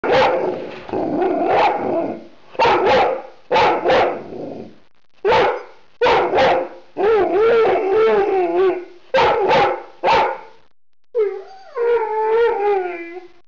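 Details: Rhodesian Ridgeback indoors on an evening while its owner works from home: bursts of loud, harsh barks in doubled and tripled groups, broken by long wavering whining howls with clear tonal harmonics near the end.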